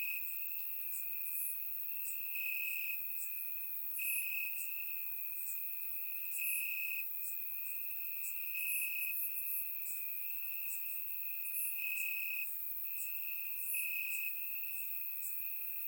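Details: Bulgarian summer night chorus of crickets chirping in grass, surround microphone: a constant high-pitched trill brightening in regular pulses about every one to two seconds, overlaid by repeated faint, very high chirps from other insects.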